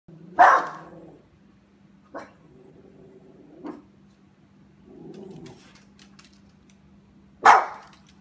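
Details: Puppy outdoors at Halloween, scared of a pumpkin it thinks is alive, gives two sharp loud barks about seven seconds apart with low soft growling between them, over a steady low hum.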